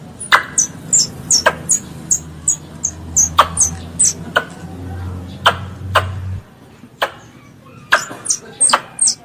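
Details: Young squirrel, a pest, calling its mother with steady high squeaks that dip in pitch, interleaved with loud clicks. A low droning hum runs through the first two-thirds, then drops away, and the calls continue.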